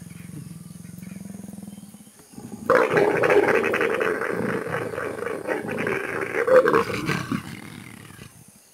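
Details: Leopards during mating, heard close by: low murmuring at first, then a loud, harsh snarling roar erupts and churns for about five seconds, swelling near the end before fading into quiet.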